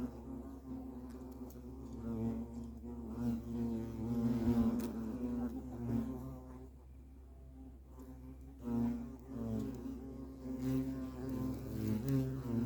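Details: Continuous low buzzing from European hornets (Vespa crabro) at the nest, several insects droning together with wavering pitch; the hum fades briefly partway through, then builds again.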